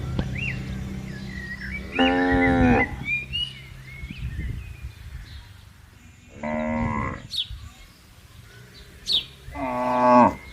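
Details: Tame cattle roaming a large garden while grazing and interacting with one another; three moderate moos spaced about four seconds apart, each a short harmonic low that drops at its end, with birds calling softly behind.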